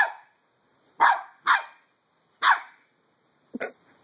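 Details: Skip, a Pembroke Welsh Corgi puppy aged three months, barks while playing with a beach ball: five short yappy barks, irregularly spaced across four seconds, the last one lower and doubled.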